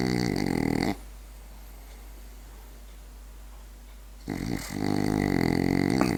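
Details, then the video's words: A sleeping French Bulldog snores: two long, rasping, harmonic-rich snores, each lasting about a second or more, separated by roughly three seconds of near silence in a quiet room. "french bulldog snoring"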